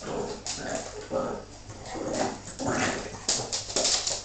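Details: Bull terrier mother play fighting with her pups: rough, broken growls and short whining yelps come in uneven bursts, with a person's voice mixed in and a steady low hum underneath.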